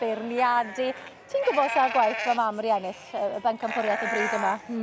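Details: Welsh Black Mountain sheep, two years old, giving quavering bleats: a steady low call first, then a run of wobbling, vibrato bleats from several animals, with a faint murmur of people in the background.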